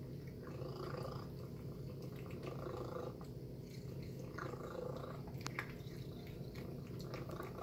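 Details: Female pet cat eating a chicken and beef breakfast indoors purrs steadily for several seconds, a low continuous rumble, with faint clicks and soft eating noises on top.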